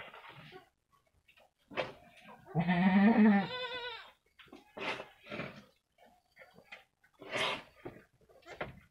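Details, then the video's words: About one week old, two female Jawa Randu cross goat kids play in a pen; a strong, nasal, trembling bleat of roughly one and a half seconds stands out amid knocks, rustles and brief scuffling noises. "Anak Kambing lucu"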